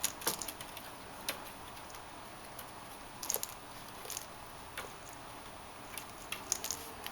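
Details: Indoors, soft scattered tapping, clicks and rustles come and go over a quiet background, with no animal calls heard.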